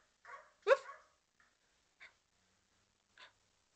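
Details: A two-year-old Border Collie barking at dogs on screen gives one sharp, loud bark, then a couple of softer yips.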